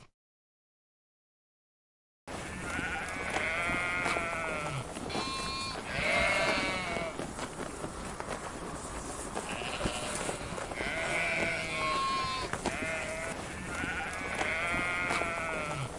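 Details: Sheep bleating after a short silent opening, several wavering, nasal bleats overlapping one another as from a group, coming in bursts every couple of seconds over a steady rustling farmyard background.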